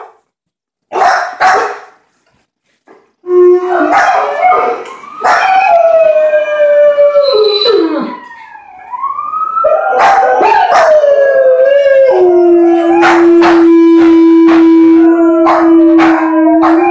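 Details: Seven-month-old chocolate Labrador Retriever howling: a short rough burst, then long wavering tonal howls that slide up and down, ending in a steady held note for several seconds, with brief yelping cries between.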